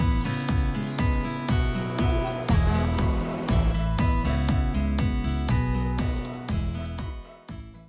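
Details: Plucked acoustic guitar music with a steady beat and bass notes fills the recording, with no animal calls.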